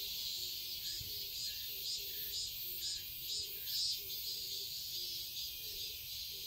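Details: Summer garden cicadas in Seoul, Korea, keeping up an unbroken high, hissing drone that swells softly about twice a second, while faint low short notes repeat beneath it.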